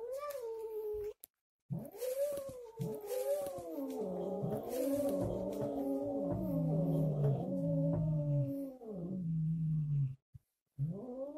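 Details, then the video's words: Angry Siamese cat after a hysterectomy, the recording layered three times with different start points: long, wavering, drawn-out meows overlap into a howling chorus, pitch sliding up and down, with brief silent gaps. "Siamese cat angry 3x hissing and meowing after a hysterectomy."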